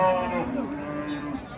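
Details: Agitated cattle being unloaded from a truck give a drawn-out, steady low moo lasting under a second, with men talking over the start of the call.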